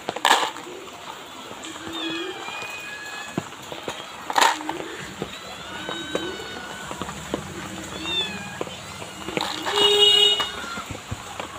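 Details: Two street kittens being fed, their thin high meows rising and falling as short harmonic calls every second or two, with a few sharp clicks and faint background noise.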